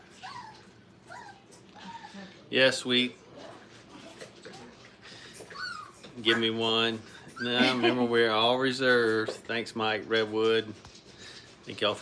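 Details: Playing Brittany puppies aged five weeks in a training kennel give scattered yips, then overlapping warbling whines that swell and waver for several seconds before breaking into shorter cries.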